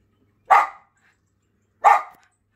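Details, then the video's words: Male Schipperke barking to drive birds off his property: two sharp, single barks about one and a half seconds apart, with silence between them. "Schipperke telling the birds who's boss"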